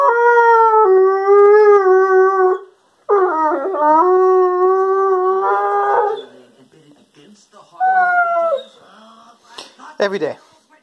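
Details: Chatty Weimaraner–German Pointer cross named Doodle keeps up his everyday 'talking': long, warbling, tonal moans rising and dipping in pitch, then a shorter moan and a few quick whimpers near the end.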